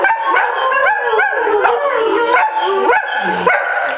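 A greyhound gives a series of drawn-out howls that bend up and down in pitch. Sharper yelping notes and whimpers cut in between the longer wails, which come in quick succession.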